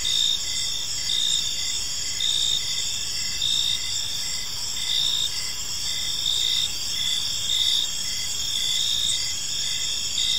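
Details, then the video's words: Crickets in a park as evening falls: a continuous high-pitched trill with rhythmic pulsed chirps repeating about once a second throughout, otherwise quiet. "Cricket Sounds in a Peaceful Park"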